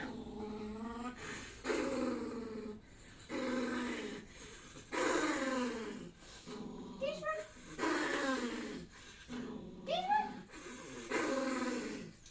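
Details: A poodle gives drawn-out, whiny, speech-like yowls in a series of bursts, "talking" as it calls "Yaya", its nanny, for help.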